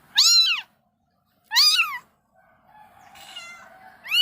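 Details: Mother cat cleaning her kittens, giving clear rising-falling meows, two loud calls about a second apart, then softer faint mewing and a third meow at the end.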